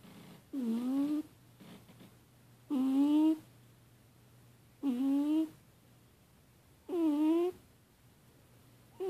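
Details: Snoring indoors while asleep, female pet cat Annie, possibly in a nightmare, lets out a regular series of whiny, harmonic moans on each breath, roughly every two seconds, with soft room hum and a faint rustle between them.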